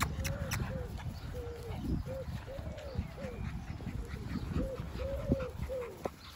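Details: Short arched whining notes from dogs on an afternoon family walk in the UK, where Lulu, a yellow Labrador retriever, and Darcy, an English cocker spaniel, are out together; about a dozen nasal rising-falling whines at a steady mid pitch over low rumbling background noise.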